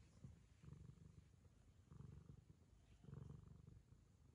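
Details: Quiet Ragamuffin purr while the cat licks the owner's daughter as a token of affection, a deep rumble swelling roughly every second with brief dips between.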